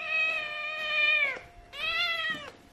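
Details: Domestic cat raised by a dog meows loudly twice: long, even, nasal cries each over a second, the second starting after a short pause and ending in a click, in a quiet room.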